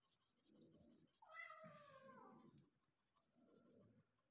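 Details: Persian cat during delivery of five kittens, one drawn-out meow that rises slightly then slides downward, over soft low rustling and a faint background hum.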